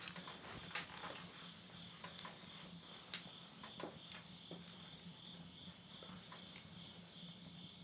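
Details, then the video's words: Late-summer midnight insect chorus in Yurihama, Tottori, Japan, September 2020: a continuous high buzzing trill, with a low steady hum beneath and frequent pops and snaps from wood burning in a stove. "the voice of insects"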